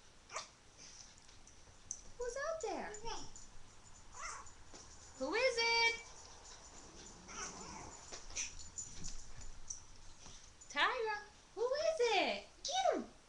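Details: Pet dogs, among them a boxer and a Jack Russell, react indoors to a knock at the door with bursts of high, sliding whines and yelping barks, while a woman keeps asking who is out there.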